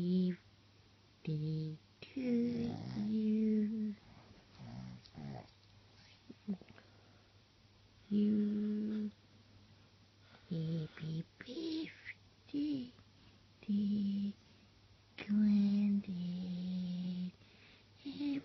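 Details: A female Boston Terrier "sings" Happy Birthday for a 70th birthday, giving a string of short, wavering howls and yodelling moans in a small room.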